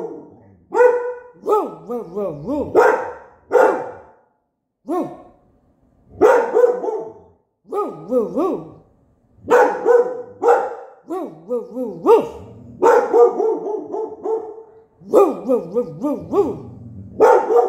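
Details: Pet dog Mr. Onyx, believing another dog outside is answering him, gives wavering, yodel-like 'roo roo' barks in quick bursts with short pauses. A person copies his bark and tone back and forth.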